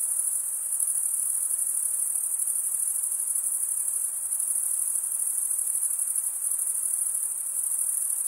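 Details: Stridulating crickets produce a continuous piercing trill at a very high pitch, even and unbroken with fine rapid pulsing. Only faint background hiss accompanies it.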